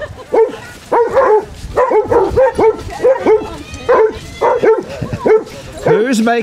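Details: Basset Hounds barking during a group beach walk at Burnham and Berrow, Somerset, England, in February 2014: a rapid series of deep bellowing barks, roughly one every half second, mixed with people talking nearby.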